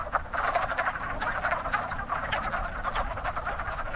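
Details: Spring breeding chorus of wood frogs at a busy pond, many males giving rapid, raspy, duck-like clucks that blend into a steady rattling din, with no other sounds standing out.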